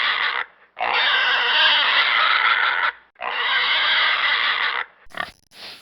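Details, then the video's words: Loud, shrill pig squeals held for about two seconds each, two long screams with a brief gap between, then a few short clipped squeaks at the end. "Pig sound effect"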